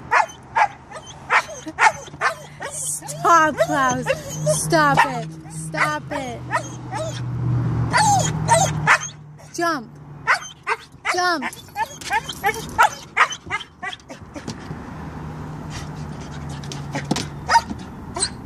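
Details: Refusing to get out of a car and go to the dog park, Siberian husky Klaus yowls in looping, up-and-down whines and short yelps, overlapping a person's pleading voice, with a steady low hum underneath.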